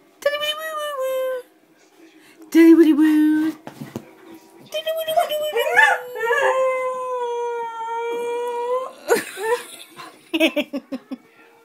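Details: A female collie howls along to her favourite tune in long, wavering, tuneful notes, rising and falling as she sings.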